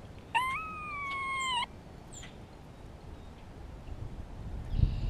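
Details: Spring recording of a grey squirrel communicating with another squirrel and answering a nearby hawk: one loud, rich, sustained moan lasting over a second, climbing at the start and then level, followed by quiet, with a low thump near the end.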